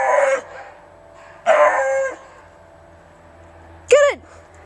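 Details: Romeo Scott, a pet Beagle, lets out a short hoarse bay, then a longer drawn-out one, and finally a brief high yelp that drops sharply in pitch. Long quiet gaps separate the calls.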